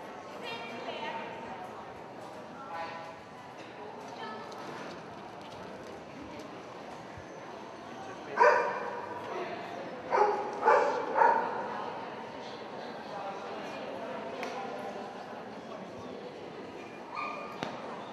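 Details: Dog barking at a dog show: a few sharp, loud barks burst out around the middle, one then a quick cluster of three, over a steady murmur of crowd voices.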